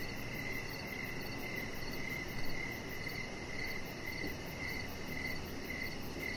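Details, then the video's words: Evening crickets beside a deck where a chihuahua named Rocket lies under decoration lights; short high chirps repeat about twice per second in an even rhythm, over a constant low broadband hiss. "Chihuahua Puppy Laying On Deck with Cricket Sounds"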